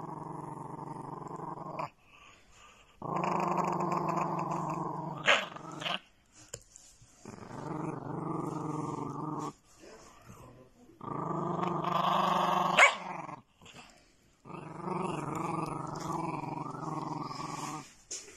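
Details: A pet dog growling in four long, low rumbling bouts of about two to three seconds each, separated by short quiet pauses with faint snuffling and small clicks between them.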